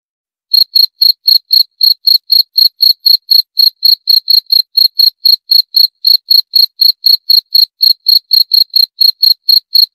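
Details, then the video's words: Cricket (jangkrik) chirping steadily: short, high, bright pulses repeated about four times a second with an even rhythm and no other sounds. "28 Menit Suara Jangkrik - 28 Minutes Cricket Sound Effect"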